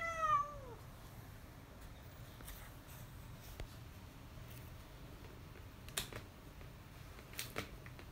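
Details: A black male cat in Houtong gives one short meow that slides downward at the start, followed by near silence broken only by a few faint clicks and taps in a small room.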